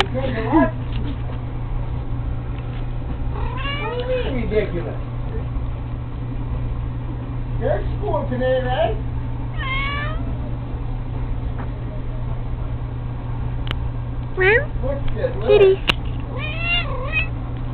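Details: Cat playing with a fishing pole meows repeatedly in wavering, bending cries, roughly every few seconds, some drawn out like caterwauls, over a constant low hum with occasional human talk.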